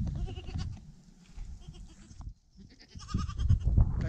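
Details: Newborn goat kid, the first of the year, bleating in short quavering cries, a quiet gap in the middle, then louder bleats at the end.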